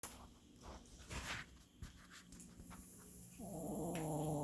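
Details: An old dog snoring; after faint rustling, a loud rasping snore rises in pitch and continues as a buzzy, harmonic drone.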